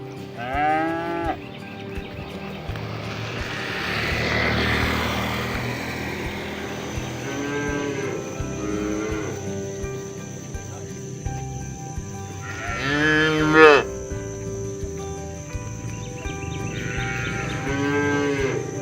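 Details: Herded cows roaming the fields and calling companions home to the barn; several drawn-out moos spaced through the stretch, one rising sharply, with a rushing broadband noise in the middle and a faint steady high tone.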